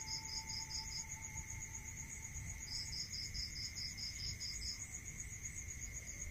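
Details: Night cricket chorus in the countryside. Bursts of quick, bright pulses come in two separate runs, with a continuous high ringing and a steady mid-pitched hum running underneath.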